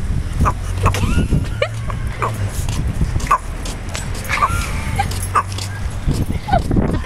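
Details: Dog. A dog barks in short, abrupt bursts spaced about a second apart, some with a yelping, whiny edge. A steady low hum runs underneath, with a few faint voices in the background.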